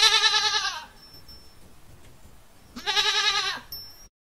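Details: A goat giving two long, wavering, nasal bleats, each lasting under a second, separated by about two seconds of quiet background hiss with a faint high tone.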